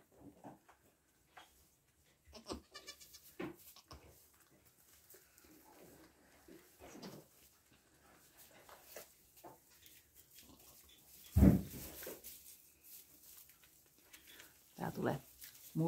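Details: Goats on a farm in Pori, Finland, where a newborn kid is tended by its mother and other curious goats look on; scattered low bleats and rustling, with a louder bleat near the end among barn noises.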